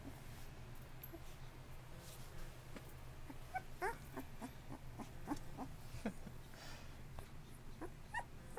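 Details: Bullmastiff puppies, 2.5 weeks old with eyes newly open, fussing indoors: a string of short, soft, rising whimpers and squeaks at an irregular pace over a low steady hum, with faint rustling.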